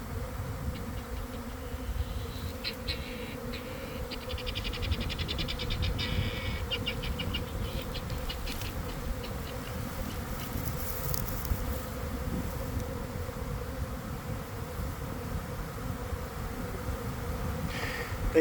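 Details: Swarming honey bees in a garden near their hives, early afternoon after a cold, damp week, heard from within the swarm: a continuous low hum under rumbling handling noise, with brief crackles and clicks scattered through the middle.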